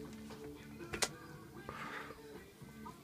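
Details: Soft music with steady tones plays in a small indoor room, broken by a sharp click near the one-second mark and a faint murmur of background voices.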